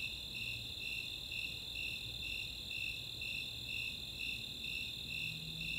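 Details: Summer night in the Chautauqua open space of Boulder, Colorado, where Snowy and Four-spotted Tree Crickets chorus: regular shrill chirps about twice each second above a sustained high trill, a faint low hum near the end.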